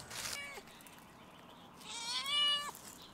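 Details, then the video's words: Stray domestic cat on a fence on a campus closed due to coronavirus, meowing at a person: a short rising-falling meow, then a longer, drawn-out meow that swells and ends abruptly, with light background hiss. "then the cat meow at me on the fence"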